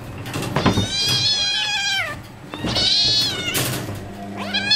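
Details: Tigers, hungry during feeding, utter two long drawn-out wavering mews that bend downward at their ends, followed by a rising call. Faint low rumbling sits in the background.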